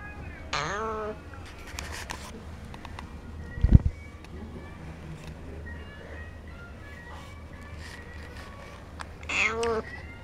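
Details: Cat begging at a cat café in Sendai, Japan, as a woman coaxes it in Japanese and offers treats; a descending meow near the start and another near the end, with a thump and quiet room noise between.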